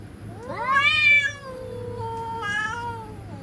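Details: Real cats threatening each other: a single yowl climbs quickly, peaks, then trails off into a long, falling moan, followed by a brief, softer wavering cry.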